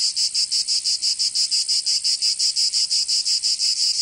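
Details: Cicadas singing in summer in Provence, southern France: a loud, dry, buzzing pulsed chorus, about three pulses per second at a steady rhythm, high-pitched and continuous with no other sounds.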